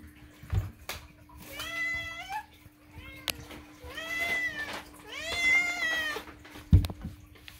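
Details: Moo the pet cat loudly demanding food indoors: three drawn-out, nasal meows with rising then falling pitch, each about a second long and spaced a second or so apart, with faint background music and soft clicks.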